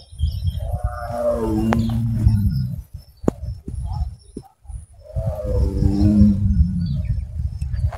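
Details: A Royal Bengal tiger walking in an enclosure at a park by Jharkhali in the Sundarbans, India, gives two deep, drawn-out roars that slide downward and fade into a low rumble; the title calls it hungry.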